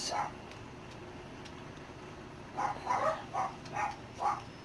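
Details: Six-week-old Dachshund puppies, nearly weaned and newly moved into a bigger pen, give a run of five short high yips in quick succession after a quiet start, with faint room noise behind.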